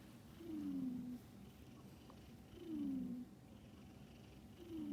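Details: Domestic cat snoring while asleep: soft, low, drawn-out breaths, each a gently falling tone lasting about half a second, repeating roughly every two seconds over a quiet background.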